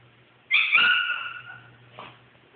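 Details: Shih Tzu named Coco reacting to the sudden curiosity of a wandering Siberian Husky puppy: one loud, high, whining yelp that slides slightly downward over about a second, then a faint short second note, over a steady low hum.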